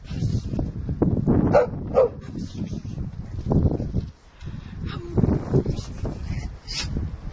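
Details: Shelly, a Sussex Spaniel, at play with her two owners and Monty; a few short, sharp yips and barks stand out early on, set against low thumping, rustling and handling noise.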